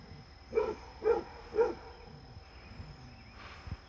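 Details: Fred, a Basset Hound, with a visiting deer: three strong baying barks in quick succession, followed by quieter rustling and a faint soft sound near the end.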